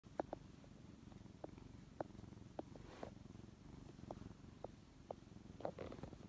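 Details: A brown tabby cat, rescued as a weak kitten in late May 2015, snuggling affectionately on a lap indoors. A soft, continuous low rumbling purr runs throughout, with small scattered clicks and rustles.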